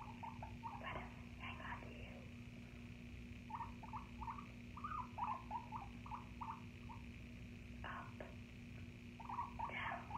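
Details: Guinea pig indoors with short squeaky notes in quick uneven runs, mixed with sharp crunching bursts and rustling against a steady low hum.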